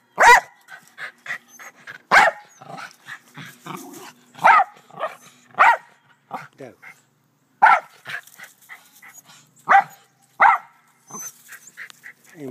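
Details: Doe, a black Terrier, barking in a back yard alongside Rat Terriers Moe and Sassy; loud sharp barks come in irregular bursts with short gaps and softer yaps between, and human voices are faintly mixed in.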